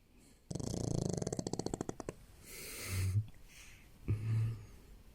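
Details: A pug snores while sleeping in bed, a low, rattling flutter followed by softer wheezy breaths.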